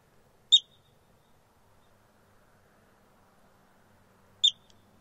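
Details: A yellow-bellied marmot looking and listening on rocks in Rocky Mountain National Park, Colorado gives two sharp, high chirps about four seconds apart.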